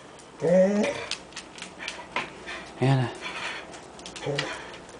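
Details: A dog named Anna making noises: three short, low, moaning grumbles with harmonics, at the start, middle and end. Each is under half a second and they come about two seconds apart. A person speaks nearby.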